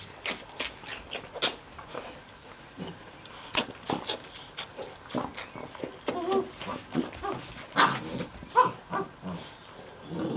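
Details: Mastiff puppies from a litter aged six and a half weeks, indoors, giving short squeaky whines and grunting snuffles at irregular intervals amid scuffling and rustling noises, with faint human voices.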